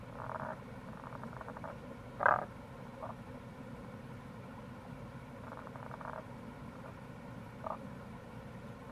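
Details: Tago's brown frog (Rana tagoi) calling in April near a gorge on the Kamo River, Itoshima, Fukuoka, Japan; a few short low pulsed croaks, one louder burst near the start, over steady stream-like background noise.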